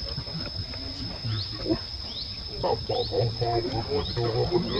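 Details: Baby monkey Lucie calling for her mother Luna: a run of short, harmonic, wavering cries repeated rapidly in the second half, over a steady high insect drone with faint rising chirps.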